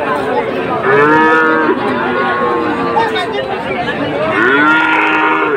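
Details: Friesian and crossbred heifer calves at a Dhaka cattle market on 12 August 2024, lowing in long, steady, tonal moos that overlap from several animals, over a constant crowd murmur.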